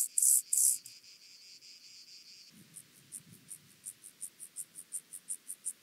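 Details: Chorthippus vagans grasshopper recorded at Mörnsheim, Germany, on 14 July 2023 with an ultrasound detector: two loud high buzzy bursts at first, then a run of short high pulses repeated about three times per second, growing louder.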